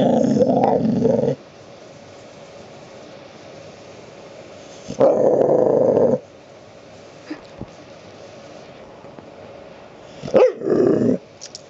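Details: A pet dog named Abby demanding to be petted gives low, rumbling growls in bursts, one at the start, another near five seconds and a short rising whine-like sound near the end, with quiet room noise between.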